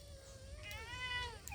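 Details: A domestic cat, one of a mother cat and her kittens at home, gives a single drawn-out meow that starts level, then rises and bends down, with a person talking quietly nearby.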